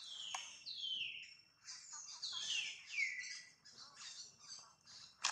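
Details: Pregnant mother monkey named Jane gives a run of high, squealing calls, each sliding steeply downward, several in close succession with short gaps, over faint clicks and rustling.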